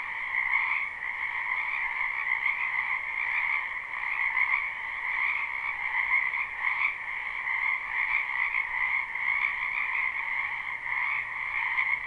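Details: Live spring recording of many frogs calling from a wetland behind a house: unbroken overlapping croaks form a steady two-tone buzzing chorus, with a faint low hum appearing near the end.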